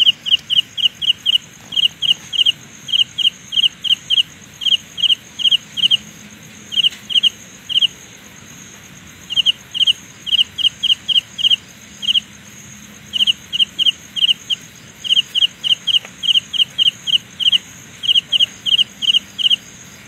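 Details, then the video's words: Carolina ground cricket song heard as a sound illusion: rapid bursts of high metallic pulses grouped in twos to fours, coming almost continuously, with a fainter, even higher ticking insect chorus behind. "Sound illusion by Carolina Ground Cricket"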